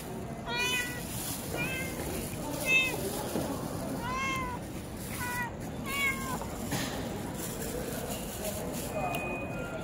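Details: A chatty tuxedo cat giving a string of short, bright meows, each rising then dropping, spaced about a second apart over the first six seconds, then quieter with steady background hum.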